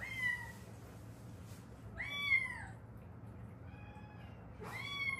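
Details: Rescued Haeundae street cats, a mother and daughter, the mother's bone healed unset after a car accident; three drawn-out meows, the middle one loudest and bending downward, in a quiet room.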